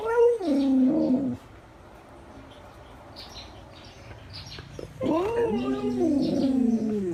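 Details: Siberian Husky talking over a snack, producing a falling whiny yodel, a pause of near silence, then a longer wavering, warbling moan with rich harmonics, indoors.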